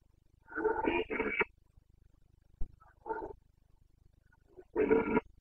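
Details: Rutting Carpathian red deer stag in Bucovina, late September: a burst of two harsh roars back to back, a sharp crack, a shorter grunt, then another raspy roar, over a low background hum.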